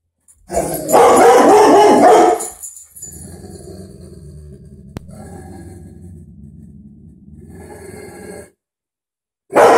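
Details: Butler, a pet dog, barking indoors at a dog on television: a dense, loud burst of rough, rapid barks for about two seconds, followed by a long, quieter low rumble and then a sudden loud return at the end.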